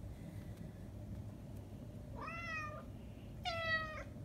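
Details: Manx cat out in very cold, windy weather: two plaintive meows, the first rising then level, the second louder and higher with a brief dip, against constant low wind-like rumble.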